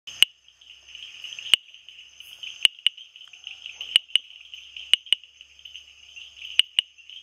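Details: Bombay bush frog, also known as typewriter frog, giving sharp, dry clicks at irregular intervals, about eleven in seven seconds, some in quick pairs, over a steady high-pitched insect-like drone.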